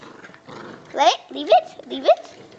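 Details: Blue merle Pomeranian named Hunter playing indoors with a nine-year-old child, tug of war mentioned: three short, high, bending yips about half a second apart, each with a quick rise and fall, over a soft human voice.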